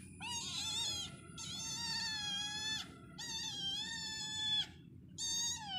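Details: A cat meowing in four long, drawn-out, nasal calls, each about a second or more, slightly wavering and falling at the ends, separated by short pauses, with a faint low background hum.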